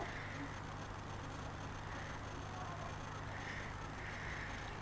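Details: Outdoor urban noise with the steady rumble of passing vehicles and a broad hiss, with no animal voice heard.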